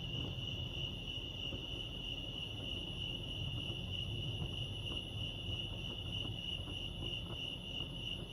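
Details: Lake Arrowhead, California crickets chirp in one constant high, even trill without pauses, accompanied by faint higher overtone and a rumbling low-frequency background.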